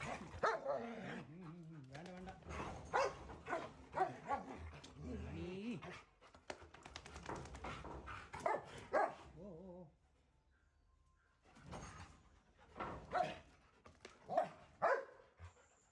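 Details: Pet Dobermanns Rocky and Rani in Kannur, Kerala: sharp, broadband barks come in bursts, mostly in the opening seconds and again near the end, with a man talking over them and a brief quiet gap midway.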